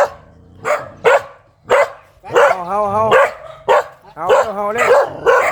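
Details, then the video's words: An angry dog gives spaced, sharp barks, then a drawn-out wavering whine-like tone mixed in before more loud barks follow in quick succession. "เสียงหมาเห่า หมาดุมาก"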